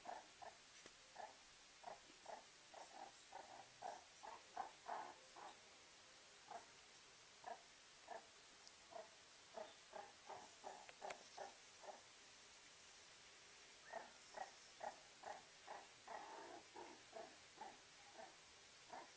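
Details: Warming itself beside a fireplace, a meerkat makes a run of brief, soft chirping calls, quick and regular at first, pausing briefly, then resuming in a steady series.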